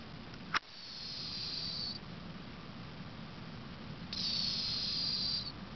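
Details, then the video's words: Sleeping 18-year-old cat named Cleo gives two long, airy, whistle-like snoring breaths a couple of seconds apart, preceded by one sharp click near the start. "Snoring cat"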